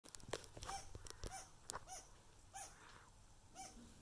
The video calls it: Squirrel making territorial sounds!